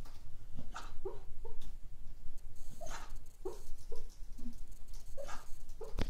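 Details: A sleeping, dreaming cocker spaniel makes quiet, muffled whimpers and stifled half-formed woofs in a hushed indoor room, in brief clusters of two or three.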